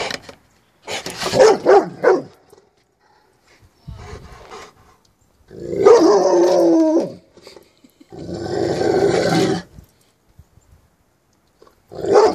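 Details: A Rottweiler, upset by a new garden flag in the yard, gives deep, gruff barks and rumbling growls in short bursts while a person talks. Its tail wags the whole time.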